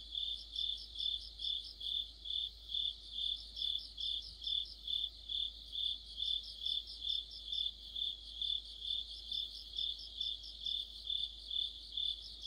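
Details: Mid-autumn insect chorus led by crickets: a shrill, unbroken high trill beating in regular swells about every half second, laced with frequent rapid higher chirp series throughout.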